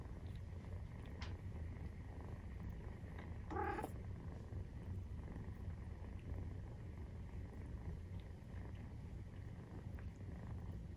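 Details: Low, even purr of a 43-day-old Maine Coon kitten at the breast, briefly interrupted near the middle by a short, higher tonal squeak before the rumbling resumes.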